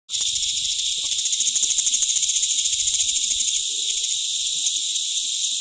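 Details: Chilean cicada, a 19 mm cicada from Chile, singing a loud high-pitched buzz made of rapid pulses, about three per second, steady throughout with a sharp start after a brief silence.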